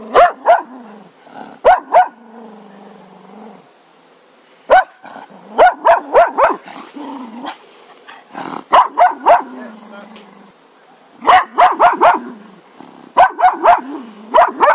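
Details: Repeated sharp barks from a Cocker Spaniel, delivered in rapid clusters of two to five with short gaps, and soft whining undertones between volleys.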